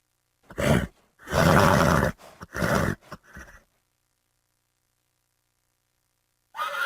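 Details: Horse neighing in short, harsh, broadband bursts: a brief cry, then a longer rough call of about a second, followed by several quick choppy snorts before silence.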